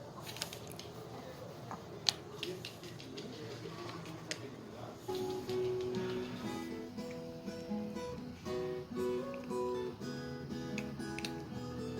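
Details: Plucked acoustic guitar plays a steady strummed melody over low room noise, with a few sharp clicks early on.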